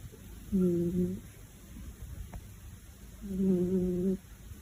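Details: A cat purrs loudly next to a wakeful kitten. Two low, buzzing hum bouts, each lasting under a second, are separated by a quiet gap of about two seconds in a small indoor room.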